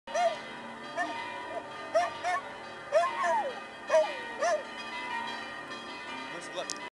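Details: A dog gives bent, yelping barks at the ringing church bells of St. Sava's Temple in Belgrade, Serbia, at noon.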